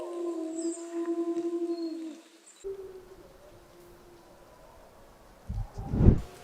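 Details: A Eurasian wolf, a large grey wolf subspecies found throughout Europe and Asia, gives a long, steady howl that wavers slightly, then breaks off into a fainter, falling tone.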